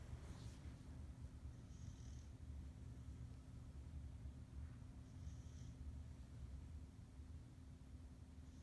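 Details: Sleeping Pit Bull named Nova snoring loudly, a continuous deep rumbling drone broken by two short airy whistles a few seconds apart.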